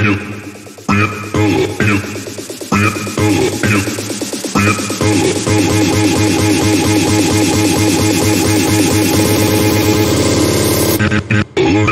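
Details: Loud electronic dance music with a heavy pounding beat and dense synthesizer layers, briefly cutting out near the end; no animal sounds are heard.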